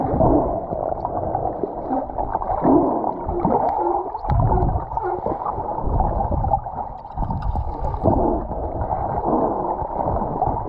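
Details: Off Cabo San Lucas in 2022, humpback whale moans and low groans rise and fall through a rumbling, gurgling underwater wash.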